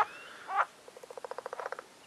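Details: Spring mating-season frogs in a pond along a nature trail at Agios Demetrianos, Cyprus: a brief harsh croak, then a rapid train of about fifteen short, evenly spaced knocking pulses.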